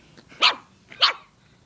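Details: Domestic dog confronting a stuffed toy dog, giving two short, bright, harsh barks about 0.6 seconds apart over a quiet background.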